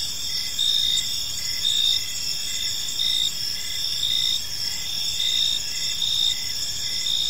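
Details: Evening park chorus of crickets, a dense high-pitched ringing drone with rhythmic pulsing chirps recurring about once a second, softer low rumble underneath, no other clear sounds.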